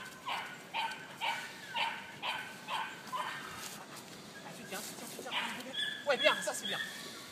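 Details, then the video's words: Two-and-a-half-month-old female Malinois puppy, Hannah des 2 Sabres, in early bite training for ring or mondioring, giving a run of high, short yips about twice a second, then shriller squeaky cries near the end, with light background noise. "Chiot malinois de 2 mois en ring"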